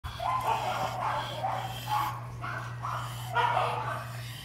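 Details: Dog reacting on first seeing a female: a run of short, high, tonal yips in quick uneven bursts, with a steady low electrical hum underneath throughout.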